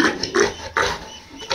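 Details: Lame pregnant sow, 60 days pregnant, after being given guava leaves and checked for fever, uttering several short, harsh, nasal grunts in quick bursts with pauses between, recorded close up.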